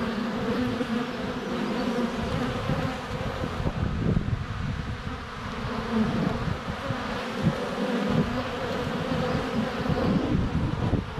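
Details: Honey bees swarming in flight at the hive entrance on a sunny day in February, captured close with a GoPro Hero 7 Black; continuous deep buzzing hum of many wings, rising and falling slightly as bees pass.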